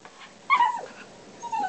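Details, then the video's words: Dog vocalizing in short whiny, yodel-like bursts while its owner chats to it about its day at the office; a sliding note that rises then drops, with a softer tail, between the owner's questions. "Dog talking about day at the office."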